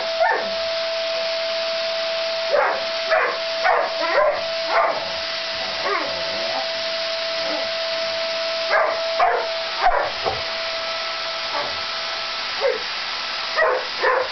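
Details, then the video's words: Max the Labrador Retriever confronting a vacuum cleaner, his enemy; clusters of quick yipping barks, roughly two per second in flurries with pauses between, against the continuous whine and hum of the vacuum. "Labrador hasst Staubsauger"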